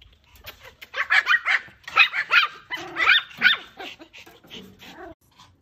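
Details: Excited puppies yapping in quick bursts, high-pitched overlapping yips and squeaky barks tumbling over one another for about four seconds, then tapering into softer whimpers.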